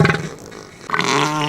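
An elephant seal gives two deep, harsh, throaty roars, a brief one and then a longer bellow after a short pause.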